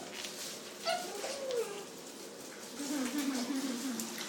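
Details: Thin, tonal whines from puppies in a household with a Dalmatian litter of thirteen and Jack Russell Terrier pups. One whine slides downward and is followed by a longer wavering one, with a steady hiss in the background.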